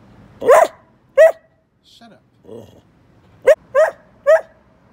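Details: A talkative pet Bedlington Whippet Lurcher yaps indoors: two clipped, upward-bending barks, a pause with faint murmuring, then a quick run of three more barks about a third of a second apart.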